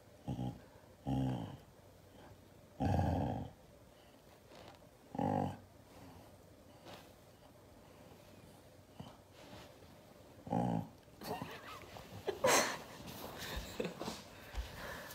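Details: Angry Siberian Husky reacting to hugs, letting out short low growling bursts at irregular intervals, followed by several seconds of rustling, handling noise.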